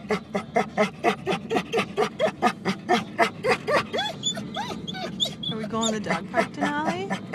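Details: Denali, a dog in a car hoping to be taken to the dog park, pants in loud regular bursts, then slides into rising and falling whines and squeaky yelps, with road noise throughout.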